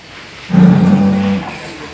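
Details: Cow, described as snoring, letting out a single short, steady, low hum of under a second against a quiet background.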